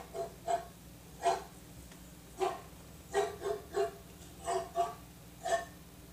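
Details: Dog said to bark like a pitbull, giving about eleven short, harsh barks in six seconds, some in quick pairs, at an uneven pace over a steady low indoor hum.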